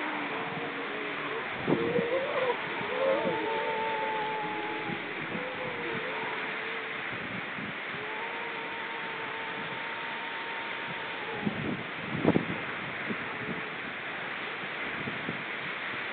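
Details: Seal vocalising on October 29 2014, long steady tonal moans held for several seconds at two pitches, with short wavering notes early on and a few sharp clicks, under continuous hiss.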